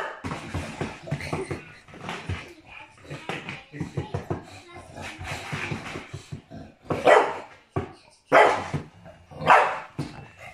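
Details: An English Bulldog playing rough with his owner, acting mad, gives loud, gruff barks in bursts while a man talks in between.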